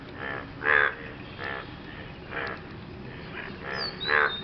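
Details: Frogs calling after rain while courting a partner: spaced, nasal, rasping croaks of varying loudness, one louder burst standing out early and another near the end, over a soft outdoor hum.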